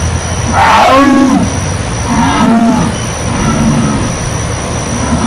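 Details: Jaguar giving a few deep, hoarse, sawing grunts spaced a second or so apart, over a steady humming background.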